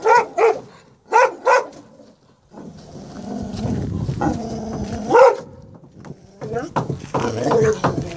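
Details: Presa Canario Major, showing protective behaviour after a reunion with his two-year-old son Roscoe in Atlanta, Georgia, on 18 January 2014: two quick pairs of deep, sharp barks, then a long rumbling growl mixed with human voices.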